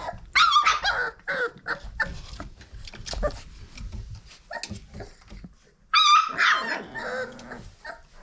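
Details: Five-week-old Old Family Red Nose Pit Bull puppies indoors, sharp high yelps and whines in two bursts at the start and again after about six seconds, with scuffling and a person talking softly between them.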